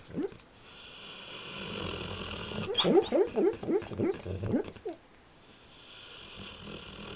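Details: A sleeping dog in a nightmare makes a quick burst of about a dozen muffled rising yips over two seconds, with a lone whimper at the start and faint background hiss.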